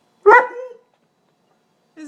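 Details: A single sharp bark from Krauser, a dog upset by the rain, followed by silence and the start of a second bark at the end, recorded inside the house.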